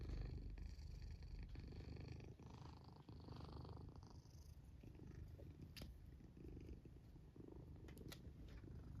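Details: A black domestic cat sleeping in its fort purrs in a deep, steady, low rumble, with soft snoring mixed in.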